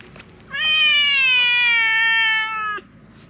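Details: Sabatora tabby park stray giving one big, sustained meow lasting over two seconds, rich and steady with a slight downward slide, loudly appealing for something.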